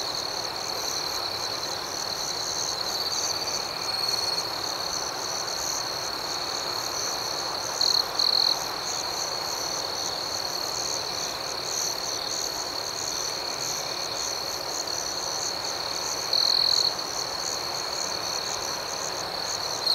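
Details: Gentle night cricket chorus in a serene outdoor setting, a constant high, rapidly pulsing trill with occasional short louder bursts, around eight and seventeen seconds, over soft steady hiss.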